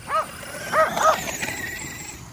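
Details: Kerry Blue Terriers exercising with a remote-control car at home; three short high yipping barks, the last two close together, followed by a brief whirring hiss.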